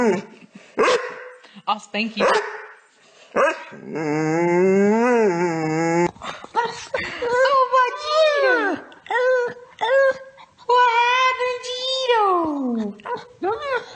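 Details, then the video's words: Chatty dog making a series of yowling, talk-like vocal sounds: short choppy bursts, then a long wavering moan, then falling, whiny syllables repeated in quick succession, with a person's speech mixed in. "Talkative dogs"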